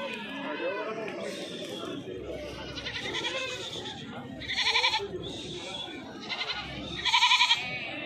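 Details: Pure-breed Osmanabadi goats (Capra hircus) in Latur, Maharashtra, India, give a couple of short, nasal, wavering bleats over a murmur of voices.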